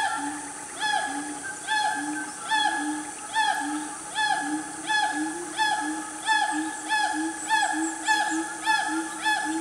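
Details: Siamang family calling loudly in the cool mid-morning forest of Gunung Nuang, Selangor, Malaysia. Arched, ringing hoots repeat about every 0.8 seconds over steady low booms, with faint higher whistles overlapping toward the end.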